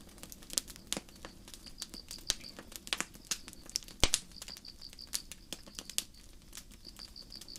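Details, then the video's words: Forest crickets at night by a campfire chirp in bright, high-pitched pulse trains separated by short gaps, heard beneath the constant crackle and occasional loud pop of burning wood. "Campfire & Crickets"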